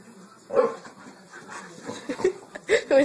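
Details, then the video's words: Four-year-old Boxer playing with a 15-week-old American Bulldog puppy indoors; short barks and yelps rise near the end amid overlapping human speech and encouragement. "Boxer vs American Bulldog"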